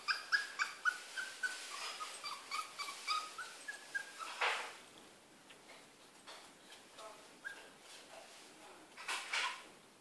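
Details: A caged male poodle, who learned to climb out in two weeks, gives a quick series of high, reedy whimpers that fade into scattered clicks and knocks. A few short whines return near the end.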